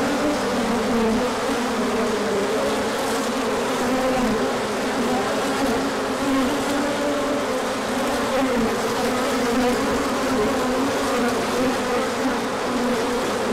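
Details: Honeybees on a large orientation flight as the sun comes out after colder weather, 24 March 2024, pollen coming in afterwards; a dense, steady droning hum of many bees, with overlapping buzzing tones wavering up and down near the low end.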